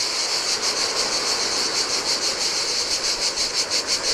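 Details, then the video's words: Cicadas singing in the heat beside the Adriatic sea on a desolate Greek island beach; a high, hissing buzz pulses steadily about three times per second over the soft wash of surf on sand. "Cicadas by the Sea - Ocean Waves & Cicada Sounds"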